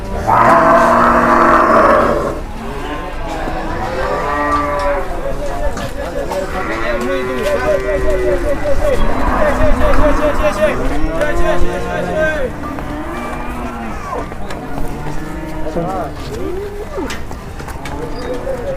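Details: Fierce cattle unloaded from a truck and raging, bellowing again and again: a loud opening moo followed by a long run of wavering, rising-and-falling lows, with brief human shouts and a constant low rumble.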